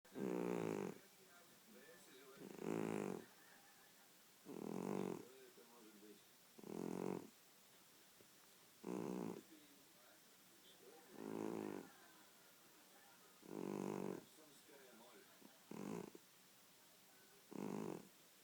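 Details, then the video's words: Domestic cat snoring indoors: rough, breathy snores in bursts about a second long, repeating roughly every two seconds with steady rhythm and quiet gaps between breaths. "Кот храпит"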